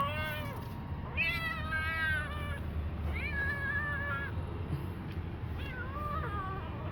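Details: Former street kitten meowing repeatedly, four drawn-out wavering harmonic meows roughly one per second and a half, over a constant low indoor hum.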